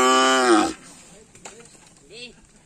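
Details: Karapan sapi race bulls at training on the Asemanis field: a short, loud, rich moo falls away within the first second, then only quiet background and faint thin calls follow.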